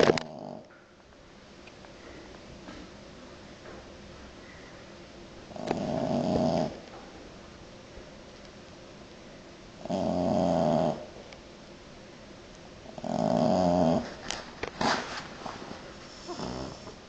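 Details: A French Bulldog snores in regular bursts about every four seconds, each a rough, droning rasp of roughly a second, separated by near silence, with some faint rustling near the end.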